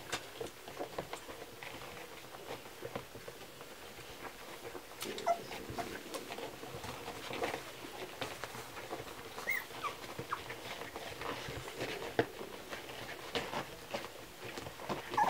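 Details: Kromfohrländer puppies during a milk feeding: dense wet smacking and clicking suckling noises run throughout, with occasional faint short squeaks and whimpers rising above them.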